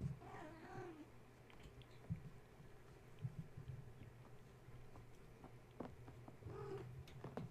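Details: Restless kittens belonging to the cat Gaia, stirred from sleep at bedtime by a space heater being plugged in. A wavering mew opens, then scratching and clicks of climbing, and a second short mew near the end, over a low hum.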